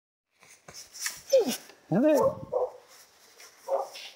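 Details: Female Karelian Bear Dog filmed in June 2016, seeking friendly attention, giving high whining yelps that rise and fall, followed by short moaning vocal bursts, in a quiet indoor space.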